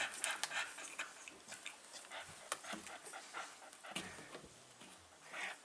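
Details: Rapid, airy panting from five-week-old Staffordshire Bull Terrier pups, recorded 27 September 2020: fast, uneven breaths around four per second, fairly faint, with occasional louder huffs.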